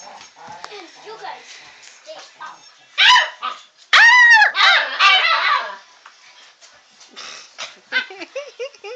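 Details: Puppies among chattering people: a single high yelp, then a louder burst of arched, squealing barks a second later, followed by quieter talk and faint whimpering yips near the end.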